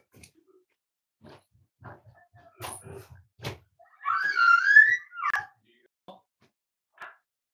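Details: Cavalier King Charles Spaniel puppies, almost eight weeks old, in a breeder's family home: soft scattered clicks and rustles, then a high rising-and-falling whine lasting about a second, followed by a shorter yelp and a few faint taps.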